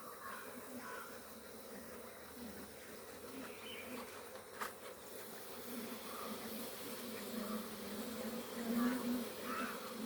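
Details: Honey bees at a Kerala beekeeping farm during honey extraction (Theneecha krishi): a steady low droning hum of many bees, with wavering higher buzzy flickers passing close by, a sharp click near the middle and a louder swell of buzzing toward the end.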